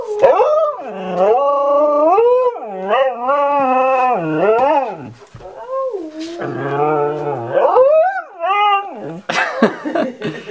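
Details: A husky talking to its owner indoors with a long run of wavering, rising and falling harmonic howls and yodel-like whines, broken by brief pauses, with a sharper noisy yip at the end.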